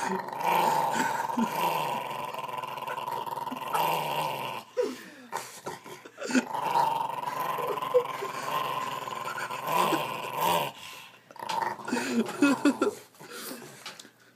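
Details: Dog producing long, rasping, engine-like growls that rise and fall like a revving motorbike, broken by short pauses and a few softer whimpering sounds.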